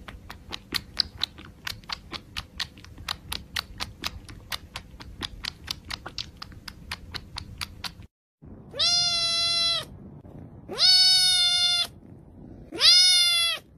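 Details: About eight seconds of rapid, regular ticking like tapping, then a pet male cat called Laolao utters three long, loud, evenly spaced meows with a strong, steady tone.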